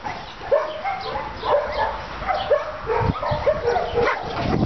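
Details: Dog barking while meeting other dogs: short, sharp barks about once a second, each with a quick rising-falling pitch, over a background of soft rustling and low thumps.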